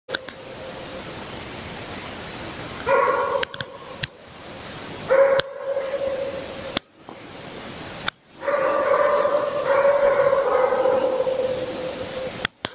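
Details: Laika hunting dog working a moose during a hunt: bursts of rapid, ringing barks blurred into a steady high tone, around seconds 3, 5 and from 8 to 12, with quieter distant barking between and sharp clicks.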